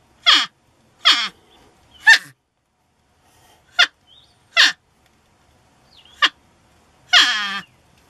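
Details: North American porcupine, reluctant to leave a shed it had taken over. Series of short harsh squeals and yelps at irregular intervals, ending with a longer descending whining cry.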